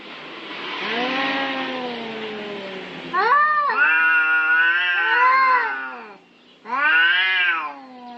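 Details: Cats fighting over territory: long wavering yowls with rich harmonics, first a drawn-out descending wail, then louder rising-and-falling caterwauls around three to six seconds, a brief pause, and a final arched yowl.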